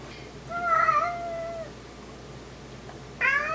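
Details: A Maine Coon cat that sleeps among huskies gives a drawn-out, steady meow, then starts a second, higher one.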